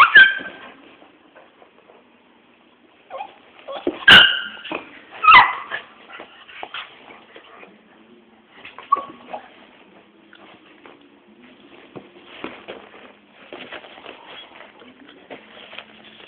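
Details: Two pet dogs, one small and one big, play fighting; sharp yips and short barks burst out at intervals, with whimpering and scuffling noises between, the loudest pair of barks close together near the middle.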